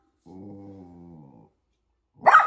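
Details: A poodle mother with her puppies at home gives a low, steady rumbling growl lasting over a second, then after a pause a single sharp, bright yelp, with a person speaking nearby.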